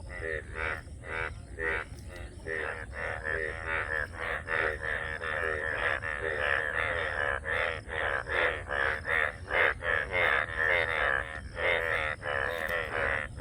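Many frogs call together in a thick, raspy chorus, each croak a short buzzy burst repeated quickly. The calls overlap into a continuous pulsing wall of sound with a faint steady hum beneath.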